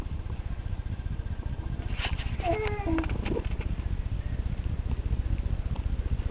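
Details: Purring from Princess, a lively female house cat: a loud, continuous low throbbing pulse that dominates the recording, with brief soft human speech over the middle.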